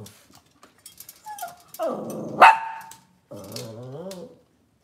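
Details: Indoor kitchen cam of Cavalier King Charles Spaniel puppies: faint scratching, then a drawn whine that swells into a sharp yelp, a short pause, and a final wavering moan with stacked harmonics.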